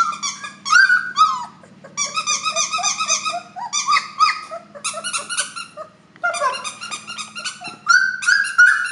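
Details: Cream F1 Labradoodle, a cross from a cream Standard Poodle mother and a red Labrador father, giving high, clear whines and squeals in clustered runs with short pauses, pitch wavering up and down, indoors.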